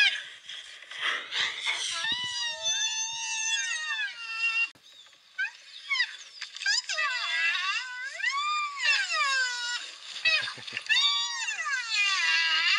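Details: Female black rhinoceros at Africam Safari, reacting to a sound test while more interested in eating, gives a run of high, moaning squeals that swoop up and down in pitch; rhinos rarely make these sounds.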